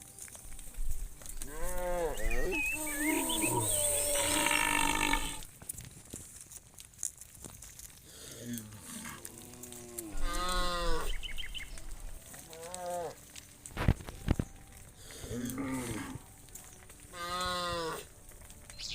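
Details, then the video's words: Hundreds of tame cows heading back to the farm pen in the evening, lowing repeatedly: overlapping bellowing moos from several animals through the recording, with trampling, knocks and general herd noise. "Hundreds of tame cows return to the farm pen in the evening, funny cow sounds"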